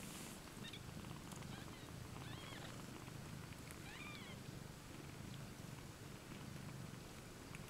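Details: Domestic cats IO-KHÔ and LOLLYPOP, two mothers sharing one basket with seven kittens, recorded 20 May 2015; steady low rumbling purr throughout, with a few brief high chirping squeaks around the middle.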